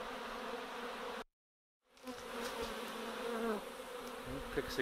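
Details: Honey bees of a swarm settling on a post and mesh as a beekeeper sets down a swarm box, a loud continuous buzzing drone with rising and falling overtones, interrupted by a short silent gap.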